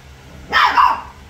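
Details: A single sharp, squeaky yelp from one of several three-week-old puppies at play, rising abruptly and lasting about half a second before fading to quiet.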